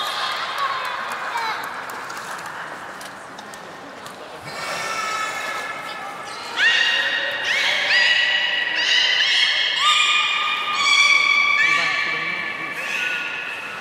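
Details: Beluga at Port of Nagoya Public Aquarium, 16 March 2019, feeding on fish and playing afterwards; after a few seconds of hall noise, bursts of harmonic squeaky tones begin, rising in short steps and repeating irregularly.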